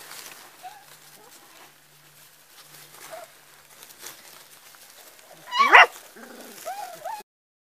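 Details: Young Border Collie sheepdog puppies give a sudden loud yelp late on, then thin wavering whines that rise and fall. Faint short squeaks come before it over quiet rustling.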